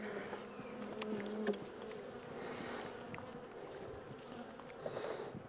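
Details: Captured honey bee swarm, the second taken, being rehoused in a bigger regular hive with brood on both sides of the comb; a clear, even buzzing hum with a steady low tone, fairly constant throughout, with slight rustling.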